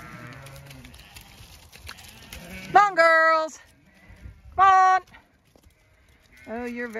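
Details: Zwartbles ewes being called down a trail toward food; three loud, drawn-out bleats with strong harmonics, each about half a second long, following a woman's calls of encouragement.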